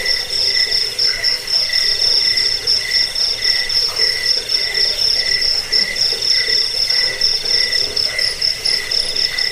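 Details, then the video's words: Continuous cricket chirping, offered as a rat repellent, sleep aid and bird-training sound; a bright sustained pulsing trill holds steady while a lower chirp repeats roughly four times per second, faint lower pulses in the background. "Suara jangkik pengusir tikus pengantar tidur"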